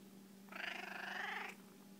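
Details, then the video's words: Female house cat indoors, seeking to be petted: one drawn-out, steady meow lasting about a second, even in pitch with a slight pulsing texture, set between a person's affectionate talk and a constant low electrical hum. "Life with a loud cat"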